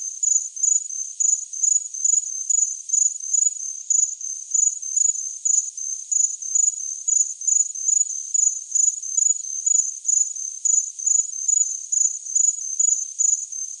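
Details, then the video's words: A cricket keeps up regular shrill chirps, quick evenly spaced bursts of a single high pitch repeated about every half second, against silence. "Chirping Cricket"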